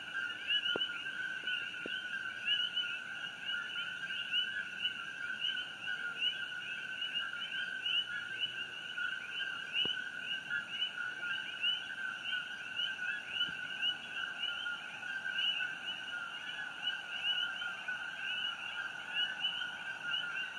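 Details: Coqui frogs calling at night on June 27, 2018, near the glowing Fissure 8 eruption on Hawaii Island; a dense, continuous chorus of many overlapping chirps forms a steady two-toned drone with quick rising notes, plus a few faint clicks.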